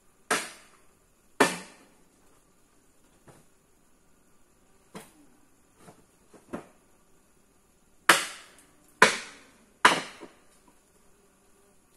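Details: No animal sound is heard, only scattered sharp knocks and taps at irregular intervals in a quiet setting.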